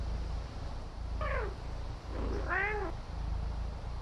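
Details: Female Maine Coon kitten relaxing on a patio gives two meows about a second apart: a short, falling first one, then a louder, richer second that rises and falls. Steady low background hum throughout.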